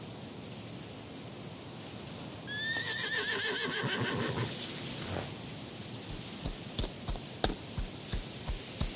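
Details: Horse in a mountain setting with wild horses, on a breezy day: a shrill, quavering whinny falling in pitch over about two seconds, over steady wind noise, followed by a run of hoof clip-clops.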